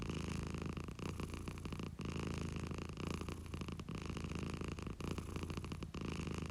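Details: Short burst of deep, grainy purring from a domestic cat, the rumble pulsing in quick breath cycles about once a second, close and steady.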